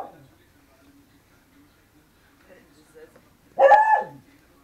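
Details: Miniature Pinscher mix lets out one abrupt bark after a few seconds of near quiet with faint low murmuring sounds in the background.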